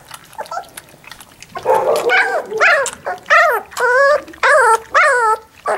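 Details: Labrador Retriever puppies at three weeks old give high, rising-and-falling whines and yelps in quick succession.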